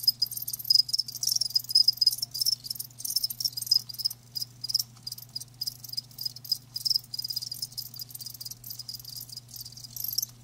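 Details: Several live crickets produce a thick, busy high chirping that runs almost without break, pulses crowding together, with a soft low hum in the background.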